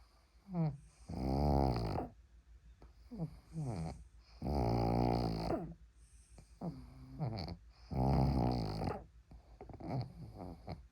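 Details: A pug asleep using a person's arm as a pillow, snoring loudly indoors: deep rumbling snores of about a second each, roughly every two to three seconds, separated by softer wheezy, whistling breaths.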